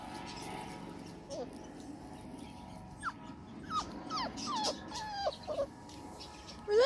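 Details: Five-week-old Labrador Retriever puppies exploring a garden; a series of short, high, downward-sliding whimpers and squeaks, scattered over several seconds, ending with a louder rising whine.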